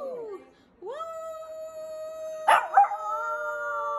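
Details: Shih Tzu dog howling: a sustained, steady mid-pitched tone with rich harmonics after a short falling whine, then a brief broken break-up and a second overlapping held howl.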